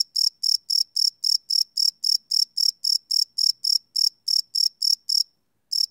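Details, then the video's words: Night-time cricket calling, captured live with a Sony PCM D100 recorder: a steady train of shrill, evenly spaced chirps, roughly four per second, stopping for a short gap near the end before resuming once. "Cricket Chirp Sound - Cricket Sounds at Night"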